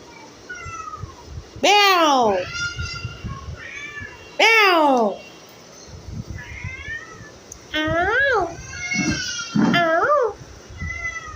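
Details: Domestic cat crying out in loud, drawn-out meows that sweep downward, about five calls spread across the stretch, interleaved with Bengali speech and handling noises indoors.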